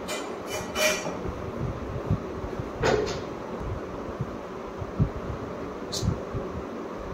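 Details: Indoor rumble and rattling thumps with brief hissing bursts and faint speech, no animal calls.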